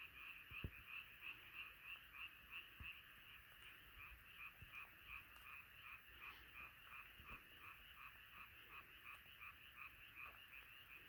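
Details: Frog chorus at night, many frogs calling together in dense overlapping pulsed croaks, roughly three per second, forming a steady rhythmic wall of sound with a few faint low thumps beneath.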